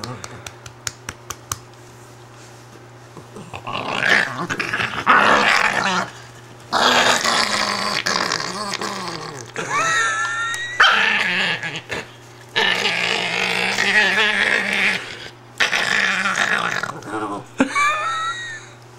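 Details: Female Italian greyhound named Patsy, unhappy about being taken from her bed indoors, gives drawn-out grumbling growls and thin rising whines in long bursts, with soft tapping clicks at the start and a human voice in the mix.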